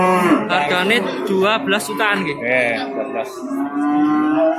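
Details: Market cattle in Babat, Lamongan, East Java, recorded Tuesday 29 September 2020; overlapping speech fills the first seconds before a long, flat, low moo carries through the end.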